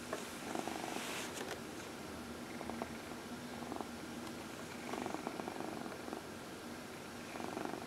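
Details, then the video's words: Purring house cat under a gentle massage indoors: a low, even, throaty rumble runs throughout, with faint scratchy stroking sounds and small clicks rising above it now and then. "Four Purring Cats — Cat Massage"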